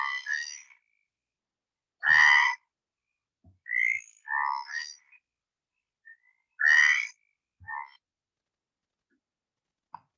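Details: A stripeless tree frog's far-carrying song, audible 1 to 2 kilometres around, heard in playback. Loud, grating croaks come at irregular intervals, two strong ones several seconds apart, mixed with softer, shorter notes and faint clicks.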